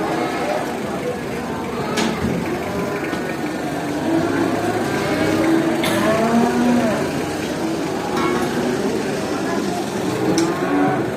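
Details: Cattle at a traditional animal market, many animals heard together: overlapping low moos and bellows with rising and falling tones, a dense herd chorus over steady crowd and market noise, with occasional sharp knocks.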